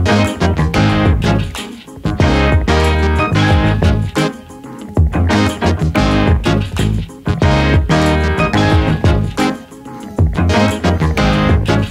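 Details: Funky keyboard and piano music with bass plays throughout, broken by brief pauses, and no animal voice can be picked out.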